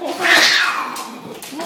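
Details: Siamese cats fighting indoors, one leaping off a wall from the fridge: a loud, harsh yowl sliding downward, trailing into lower wavering moans, in a small room.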